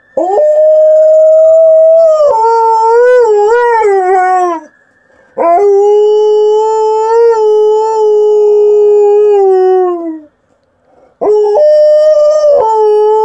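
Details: Female Alaskan Malamute named Liza howling in three long drawn-out notes separated by brief pauses, the first wavering and bending near its end, the second long and slowly falling, the third starting with a quick rise.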